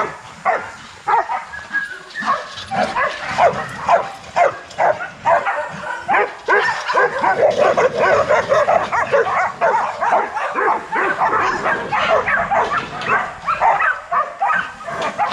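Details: Kennel-raised young Rottweilers during a workout in the exercise yard: a long, continuous run of excited barking and yipping, dense and irregular, several dogs calling over each other without pause.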